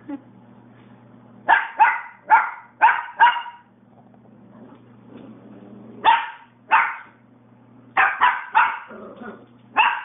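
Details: Puppy barking at a man, sharp yappy barks in rapid groups of four to five, separated by short pauses, over a constant low electrical hum.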